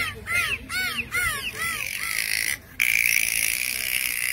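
A dolphin gives a quick series of arching, squeaky whistles, then a burst of hissing water noise.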